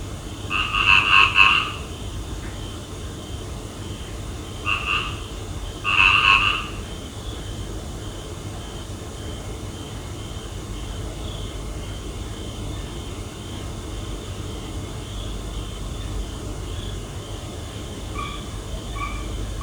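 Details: Frogs calling at night: three loud, rasping croak bursts in the first seven seconds, with the first and last bursts doubled. Fainter croaks follow over a steady hiss of background noise.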